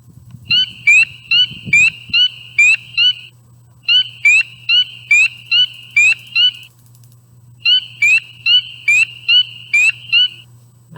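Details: Spring peeper (Pseudacris crucifer) call, played from a sound device: clear, high, rising peeps in quick bursts, the peep giving the frog its name, with a steady low hum behind.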